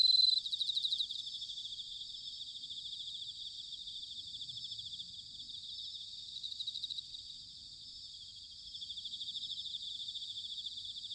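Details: Autumn bell cricket song recorded in Sanuki, Chiba, Japan: continuous shimmering high trill from several insects, with a loud ringing burst at the start and gentle rises and falls in volume throughout.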